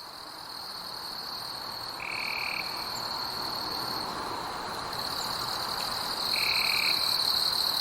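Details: Insects calling at night in a forest: a steady, high, unbroken drone with fainter upper bands, growing louder after two seconds, while two short, flat, lower tones sound at about two and six seconds.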